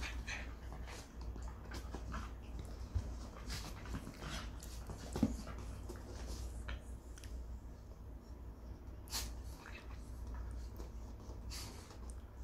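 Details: Indoors during a two-day stay with visiting schnauzers, a dog pants and sniffs in uneven airy bursts, with occasional sharp clicks and a person's voice briefly heard over a constant low hum.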